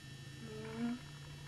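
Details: Bengal cat at a litter's birth, as kittens come into the world: one short, low, tonal mew that swells briefly and fades in about half a second, over a steady low hum.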